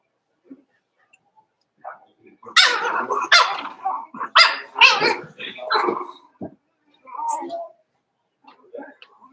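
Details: Five-week-old Cavalier King Charles Spaniel puppies, Daisy's litter, in an indoor puppy pen, give a burst of high, sharp yips and barks in quick succession over several seconds, then quieter softer calls, with voices murmuring in the background.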